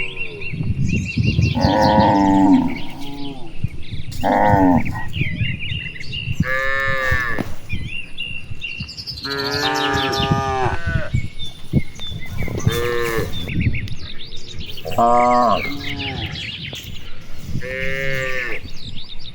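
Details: Herd of cattle roaming rice fields on an afternoon, answering one another with a series of long, rich moos from several animals in turn, birds chirping from trees in the distance.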